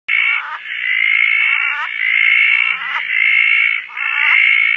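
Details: Roth's tree frogs calling at night in Koah after rain, two of many frogs present, perched on a tarp; short harmonic notes drop in pitch about once a second over a steady shrill chorus.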